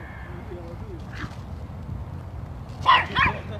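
A Yorkshire Terrier gives two sharp, high-pitched barks in quick succession to protect his sister.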